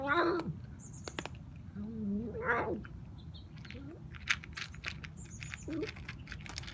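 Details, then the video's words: Kitten with a rare bone disease eating dry food: short, strained, wavering cries at the start and again near the middle, between sharp crunching and clicking from chewing, over a steady low background hum. "Watch Noisy Kitten w/ Bone Disease Eat"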